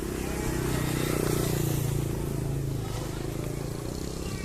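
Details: A motorcycle engine hums steadily outdoors with faint voices in the background; no animal calls are heard.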